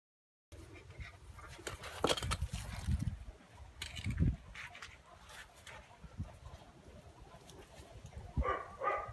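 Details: Phú Quốc Ridgeback puppy, 2.5 months old, offspring of Vằn and Mowgli, showing early hunting instinct: rough scuffling bursts, then short high-pitched whimpering yips in two quick clusters near the end.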